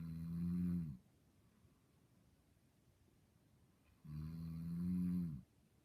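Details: Two deep, steady snores from a dreaming dog asleep indoors, each lasting about a second, separated by a three-second lull of soft background hiss.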